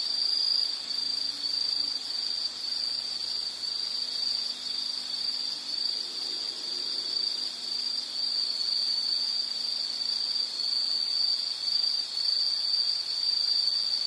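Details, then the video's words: A high, steady insect trill that fills the whole stretch with a gently wavering intensity. Faint low hums sit far beneath it in the first few seconds. "Sound · Nature Sound of nature sounds scenery L · insect"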